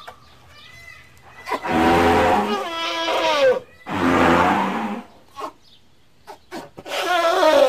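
A young elephant gives two long, wavering, nasal squeals with a rough, low rumbling undertone.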